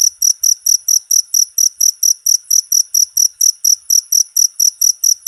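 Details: Cricket (jangkrik) chirping, a short recording meant as a master sound for training songbirds; high, clean pulsed chirps repeat steadily about four times a second with a faint second band above, nothing else audible.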